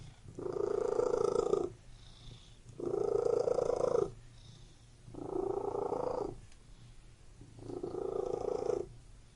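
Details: Purring domestic cat in a room, four clear rounds of loud, even, rumbling purr, each lasting over a second and separated by short, softer pauses as the cat breathes.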